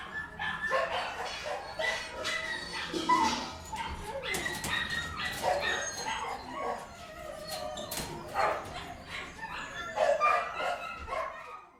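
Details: Dogs in an indoor kennel make a quieter, chaotic mix of barks, yelps and whines that overlap against a reverberant background.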